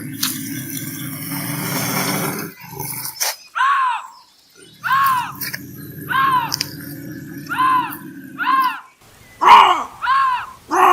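A bobcat gives a series of harsh, arching screams over a low, rumbling growl.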